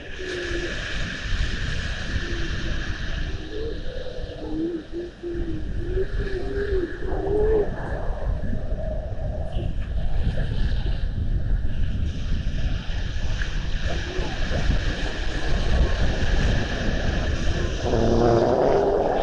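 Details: Little seals on a seal camera in Estonia, 19 February 2020: low wavering moans and short rising tones through the first eight seconds, over a steady low rumble like an engine or wind on water.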